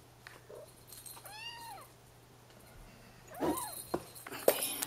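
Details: Bengal kitten in a playpen with its littermates; one arching harmonic meow rising and falling, followed by rustling, bumps and a woman speaking Dutch.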